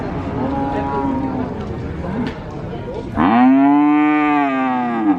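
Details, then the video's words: Cattle at a market in Sokaraja, Purwokerto, Banyumas: after a stretch of noisy market bustle, a long, loud, low moo swells and holds steady for about two seconds before fading. "SUARA SAPI ASLI BUNYI SAPI ASLI COW SOUND EFFECT CATTLE SOUND VOICE SUARA SAPI SERAM BESAR"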